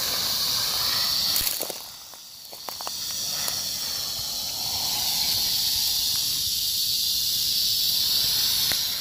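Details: Rattlesnake rattling, recorded on 1 July 2018: a steady, dry, high-pitched buzz runs through the whole clip, dipping briefly near two seconds among a few sharp clicks, then holding an even, hissing intensity to the end.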